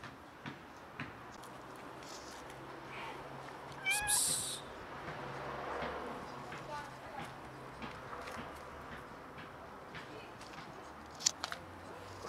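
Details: Tamed kitten and friendly cat showing affection; one short, bright meow with stacked harmonics partway through, over steady background hiss, with a person talking and occasional clicks.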